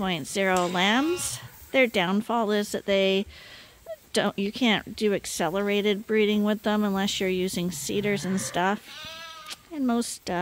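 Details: Lambs at Ewetopia Farms, still with their mothers but topped up twice daily on a hand-made bottle feeder, bleat over and over in wavering, vibrato-laden cries. The calls overlap and break briefly around four seconds.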